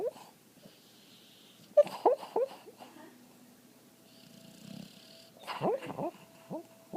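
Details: A sleeping female dog named Patty, dreaming, gives short, strained squeaky yips and wheezy whimpers in two brief bursts, separated by quiet breathing in an indoor room.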